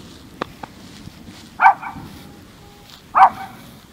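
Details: A male Maltese gives two sharp, high-pitched barks about a second and a half apart; he barks like this every time he hears thunder.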